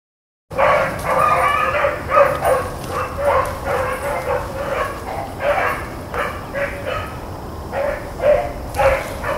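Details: Blackcreek and Bluetick hounds running rabbits on April 4, 2013: a pack bays together in overlapping ringing, mid-pitched bawls and choppy yelps that pulse in quick bursts, with no other clear sounds.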